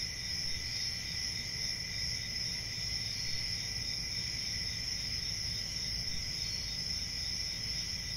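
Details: Crickets calling at night in a constant shrill chorus, stacked high trills running evenly for the whole stretch, with a low murmur of background noise.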